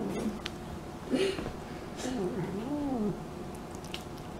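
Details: House cat vocalizing as it eats, giving short quiet arched moans and murmurs that rise then fall, with faint chewing clicks between them.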